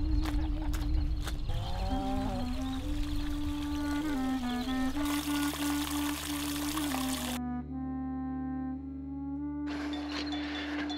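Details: Music with reedy, wavering wind tones over a steady hum, with splashing and pouring water and no animal sound heard.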